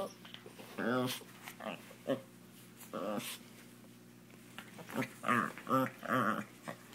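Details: Jealous house Chihuahua, playing and competing with a Doberman for attention, makes short throaty grumbles and whimpers in an irregular series, quieter toward the end, with soft voices in the room.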